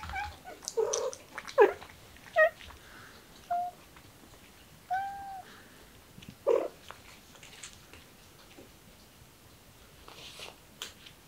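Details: Kitten starting to act cute, meowing six times in about seven seconds: short, arched, mid-pitched mews, some clipped and some drawn out, then quieter rustling and faint clicks in a small indoor space.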